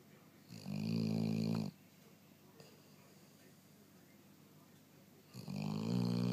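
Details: Dog snoring in its sleep: two long, low rasping breaths, each around a second, separated by roughly four seconds of quiet breathing in an indoor room.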